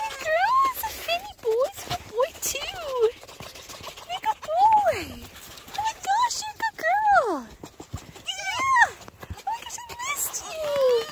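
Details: Foxes named Dixie and Finny welcoming a person: repeated whining squeals that swoop up then fall, some stacked and harsh, spaced irregularly over about eleven seconds, with a woman's cooing voice throughout.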